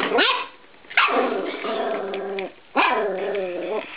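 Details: A 13-week-old Norfolk Terrier puppy attacks a spring door stop in a bedroom. It gives three loud, harsh bark-growls, each rising then holding a drawn-out harmonic tone, separated by short pauses.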